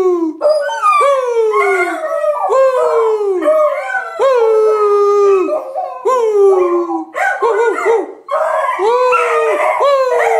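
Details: Two 8-month-old Beagle sisters howl together with their owner in long, mournful wails that slide downward in pitch and overlap one another.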